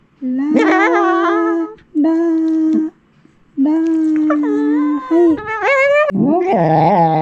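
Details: Female Shiba Inu, three years seven months old, indoors doing vocalization practice, angry when her muzzle is touched: sustained tuneful howls held steady then wavering upward, several long notes with short breaks, ending in rougher grumbling sounds.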